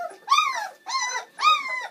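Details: Three clear, drawn-out whimpers, each rising then sliding down, from a Bernese Mountain Dog puppy in a litter of seven born on Valentine's Day 2013, at the pups' first feed on Mothering Sunday.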